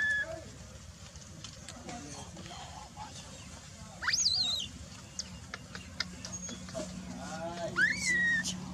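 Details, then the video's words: Dalton, a baby macaque ignored by mother Dolly, cries from the ground: a high, wavering, descending squeal, then later a shorter arched whistle-like cry, with voices and rustling noise behind. "the baby monkey lies on the ground and cries"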